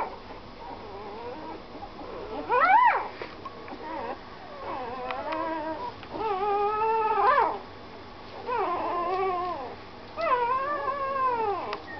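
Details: Whining puppy giving soft low whimpers that build into several long, rising, arched cries, each bending up and falling away at the end. The cries come every two seconds or so, with quieter murmuring whines between them.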